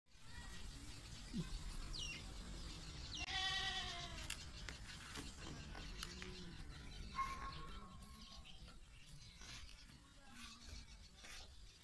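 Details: Big black Beetal breeder buck on a goat farm, giving a loud wavering bleat with strong harmonic bands near the middle, then fainter bleats, amid farm noise and some human voices.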